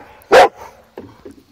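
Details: Female Rottweiler barking because she is upset at a wagon: one loud, sharp, harsh bark, followed by a few faint, soft sounds.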